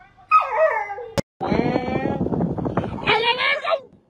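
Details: Dramatic dog vocalising in drawn-out, wavering whines and howl-like moans: a falling cry, a sharp click, then a long, rough, harmonic wail ending in a higher-pitched whine. A person laughs and speaks nearby.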